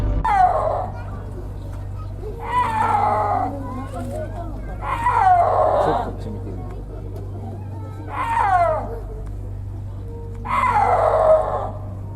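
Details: Snow leopard, a big cat that cannot roar, giving cat-like yowls: five drawn-out, wavering, descending calls spaced roughly every two and a half seconds, set over a steady low hum.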